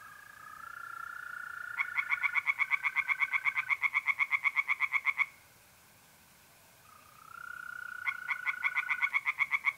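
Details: Tree frogs singing by night in a pond in North-East Italy in mid-April: rapid bursts of harsh pulsed notes, several per second, over a steady trilling of mole crickets, with a brief lull before the frogs resume.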